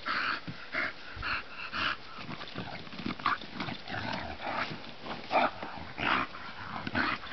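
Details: Bulldog named Bonita at play in sunshine, giving rough grunting growls and snuffly bursts roughly every half second to second, with a few sharper higher yelps toward the end.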